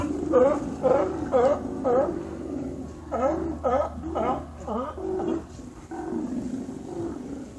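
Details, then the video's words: Sea lions visiting Cowichan Bay on Vancouver Island in autumn, following migrating salmon, calling often through the night. Hoarse barks repeated about twice a second in two bursts, then weaker overlapping barks; steady low hum beneath. "Sea Lion Serenade at Cowichan Bay"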